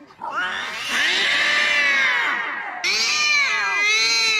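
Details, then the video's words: Domestic cat giving loud, drawn-out meows: a long wavering rising-then-falling wail followed by a second high, strained meow, caterwaul-like in tone. "funny cat sound 🤣🤣|meow meow"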